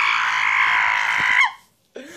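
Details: Puppy screaming strangely while biting: a harsh, buzzy, sustained squeal for about one and a half seconds, cut off by silence, then a brief wavering higher whine.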